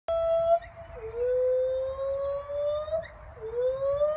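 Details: Two white-handed gibbons singing in their new enclosure in the Chimpanzee Complex at Stichting AAP; long, pure, siren-like hoots that slide slowly upward, repeated in drawn-out phrases, each pitch climbing before breaking and restarting lower.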